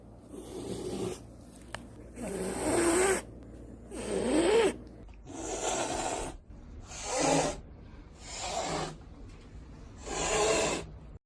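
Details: A domestic cat hisses open-mouthed in harsh, breathy bursts about a second long, repeated as a warning to back off, given when touched unwillingly, pestered by other pets, threatened in its territory, or frightened by unfamiliar surroundings.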